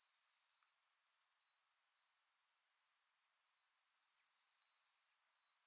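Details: A male Greek predatory bush-cricket (Saga hellenica) sings at Aspraggeli, Epirus, Greece, on 14 July 2023, in two bursts of very high, hissing, buzzy sound.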